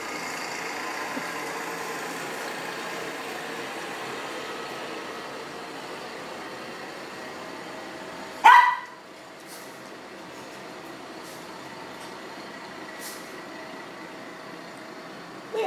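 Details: Pug barking from inside a studio in Portland, Maine, as it tries to serenade a passing man friend who works for the city; a single sharp, loud bark midway, set against a steady background hum.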